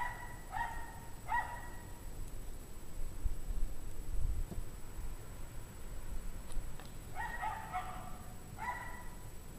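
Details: Dogs barking at 5 PM on a 17°F January 9, 2009 evening, possibly a distressed pack; distant harmonic barks in short bursts of two or three, separated by a long pause, over low rumbling background noise.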